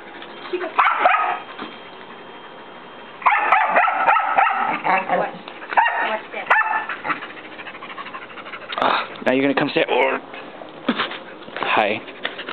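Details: Playful barking from a white mixed-breed female dog about one year old. She is pestering an older long-haired Chihuahua to play. Clusters of yappy, harmonic barks repeat through the recording, mixed with human speech.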